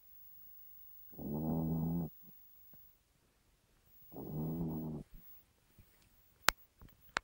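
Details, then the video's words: Chihuahua snoring in the middle of the night, loud enough to wake its owner: two rasping, buzzy snores about a second long, three seconds apart, with quiet breathing and a couple of sharp clicks between them. "Chihuahua snores"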